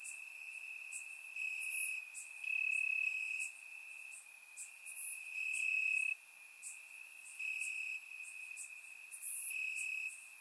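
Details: Night chorus of crickets in summer grass, Bulgaria, captured in surround sound: an unbroken high-pitched ringing tone with rhythmic louder bursts of chirps layered above it, quiet otherwise.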